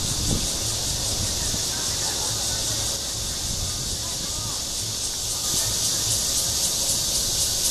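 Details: Courtship calling of Cryptotympana holsti, the red-veined bear cicada, at Guangming Park in Zhongli, Taiwan: a steady, high, sizzling buzz that swells slightly toward the end over a soft background rumble.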